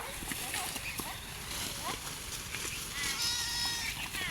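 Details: Garole sheep while eating; brief scattered noises give way to a sustained, high, nasal bleat in the last second and a half, with a person talking and calling nearby.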